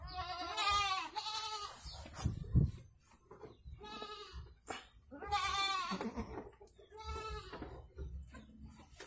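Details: Bleating goat during the birth of two kids in Indonesia: four wavering, tremulous bleats spaced unevenly across nine seconds, with rustling and a low background rumble between them.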